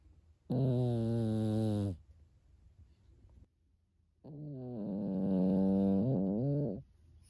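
A sleeping Pekingese snores in long, rumbling, harmonic-rich breaths, much like a person.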